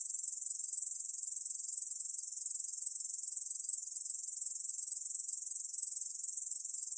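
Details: Ussuri bush cricket (중베짱이) song, 2020 recording from Korea's National Institute of Biological Resources: an unbroken, high, hissing buzz that stays even and steady throughout. There is no other sound.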